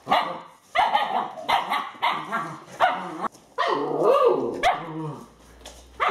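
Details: Playing Alaskan Malamute puppies aged eight weeks, in bad weather. Their short barks and yips come in clusters about every second, then a rising-falling whine and a brief lull before a final bark.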